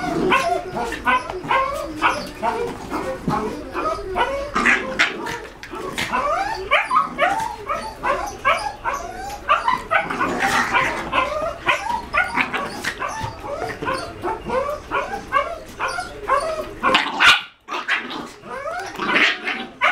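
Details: Two 5-month-old Jack Russell Terrier littermates, male Cin Cin and female Cioccolata, in wild play: a continuous tumble of rough growls, yips and short barks with brief pauses, one sharp drop in sound near the end.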